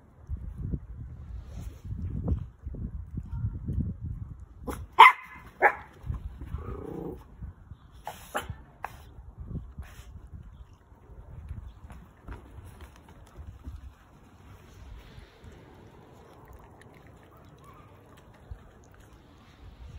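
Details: Orphan toy poodle puppy at lunchtime: a short burst of sharp, loud barks near the middle, with soft low rumbling and handling noise before and a quiet stretch after.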